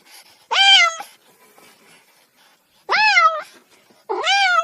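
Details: Kitten giving three clear, high, harmonic-rich meows, each about half a second long with a slight rise then fall in pitch, separated by quiet gaps, with faint rustling between calls.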